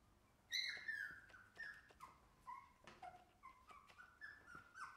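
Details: Shiba Inu puppy whimpering steadily: a loud high whine opens the run, followed by repeated short falling whines roughly every half second, each thin and pleading, with light clicks in a quiet room.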